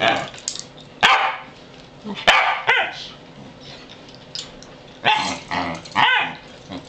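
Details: Pembroke Welsh Corgis, three farm dogs heading outdoors, give scattered loud single barks separated by short pauses. Human speech mixes with the yelps and a faint background murmur.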